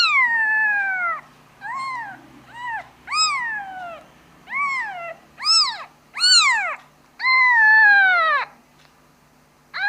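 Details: A kitten calls for its mother with a series of loud, clear meows, each rising then falling, some short and some drawn out, repeated about every second in a quiet indoor setting.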